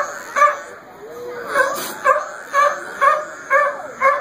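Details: Sea lions bark in rough, honking bursts about twice a second while playing king of the hill on a rock.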